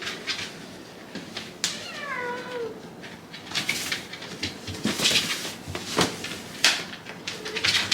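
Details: Hachi, a talkative Shiba Inu, grumbles in 'dog language' at bedtime after being kept waiting too long: one descending, harmonic whine-moan near the middle, a brief later murmur, and frequent clicks and tapping indoors.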